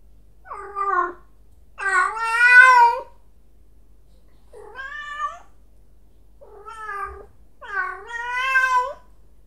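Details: A cat, described as confused by a sound, gives five meows of varying loudness. Two are strong and drawn out, and three are softer and shorter, with quiet gaps in a still room.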